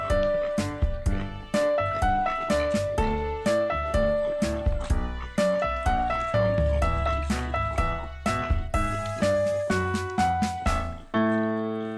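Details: Piano music plays throughout, with rhythmic struck chords and melody notes and no animal voice heard.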